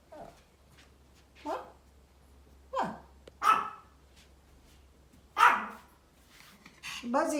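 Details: Small Pomeranian making funny barking sounds outdoors: scattered single barks, sharp and brief, several seconds apart, mixed with a person talking about deer seen outside.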